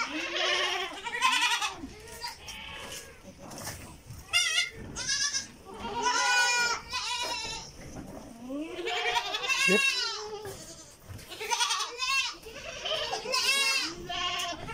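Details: Several goats on a farm in Karnataka, India, around a feed tray, bleating repeatedly with wavering, nasal, quavering cries that overlap; some calls are short, others drawn out and falling.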